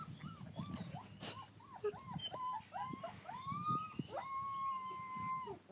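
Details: Outdoor garden play among American Akita puppies: a run of short arched whines repeated about every third of a second, building into a long, sustained, slightly wavering howl-like whine, with scuffling underneath.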